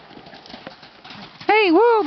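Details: Gypsy Vanner horse answering a horse ringtone as though it were a new buddy, approaching the fence. After murmured talk, a loud rippling whinny with rolling, wavy pitch sounds for over half a second.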